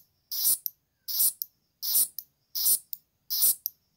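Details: Green grasshopper. Green grasshopper stridulation: short, high, hissing rasps, each ending in a quick tick. The bursts come at an even pace, a little under once a second, against an otherwise quiet background.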